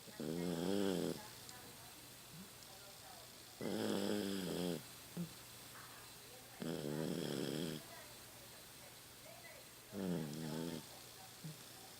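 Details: Four rattling, harmonic snores come from Rocky, a Toy Poodle aged 15, asleep at home. They recur about every three seconds, each lasting about a second, with soft little snuffles in between. His snores have grown louder as he aged.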